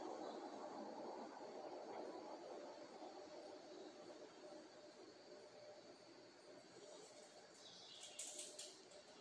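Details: Mandaçaia stingless bees (Melipona mandacaia) foraging early in the morning around 06:30 hum steadily in a soft, low, continuous buzz, with a few faint ticks near the end.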